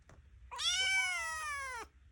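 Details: Domestic foster kitten, described as noisy and ornery, crying indoors after waking from a nap: one long loud meow with a stacked harmonic tone, slightly rising then falling, about 1.3 seconds, with a faint click before it.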